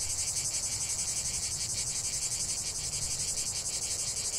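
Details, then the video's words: Chorus of cicadas from a relaxation nature recording, a continuous shrill buzzing wall of sound throbbing in fast even pulses, several per second, steady in loudness throughout, over a soft low background hum. "45 min de chant des cigales"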